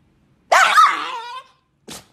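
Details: A Chihuahua, grumpy about having to get up, lets out one drawn-out, rough, harmonic grumble lasting about a second. It trails off into a thinner whine, followed by a brief scuffling noise.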